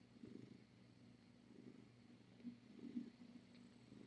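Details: Domestic cat on a Tiny Kittens Society rescue live cam during a late-night visit: a soft, low, steady purr with gentle rhythmic pulsing, quiet throughout, with faint room hiss and no voices.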